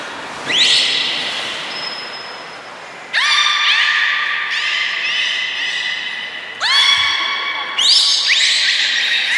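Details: Belugas Gray, Nana and Nico at Port of Nagoya Public Aquarium, Japan, 1 January 2019, training after the 16:00 public session. Bright, upward-sweeping harmonic notes that level off and hold come in a series of about five, in an echoing hall.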